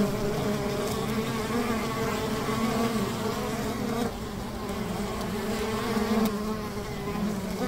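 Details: A riverside beehive of honey bees gives a full, steady buzzing hum with layered low tones, dipping briefly in loudness midway before swelling again.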